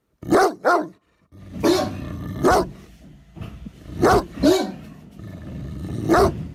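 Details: Great Dane barking, the breed also called German Mastiff: a quick double woof, then deep spaced barks roughly every second and a half with rumbling low sound between.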